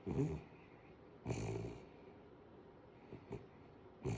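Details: Five-month-old Kooikerhondje puppy asleep between its owner's legs, snoring: breathy, rasping snore bursts of about half a second at the start, near 1.3 seconds and again near 4.1 seconds, with quiet breathing pauses between.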